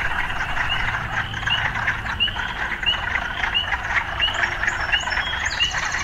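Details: Frogs calling amid occasional sounds of urban life: short chirping notes repeat steadily, roughly every three-quarters of a second, over a constant broad hiss of background noise.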